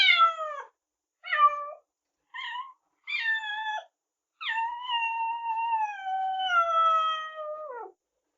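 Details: Cats and kittens meowing loudly: four short harmonic meows, falling in pitch, then one long drawn-out meow lasting over three seconds that slides slowly downward and drops at the end. Quiet indoor background.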